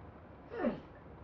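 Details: Kane, an American Pit Bull Terrier, excited while doing tricks, gives one short bark on the command "speak". The bark has a harsh, falling tone. A handler gives commands such as good, down, up and sit.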